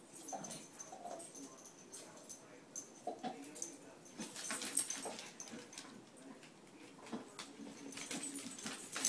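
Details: A dog whimpering during play: short, thin tonal whines in brief bursts among dense scrabbling clicks and rustles, with the whines recurring at irregular intervals against a bright hissy background.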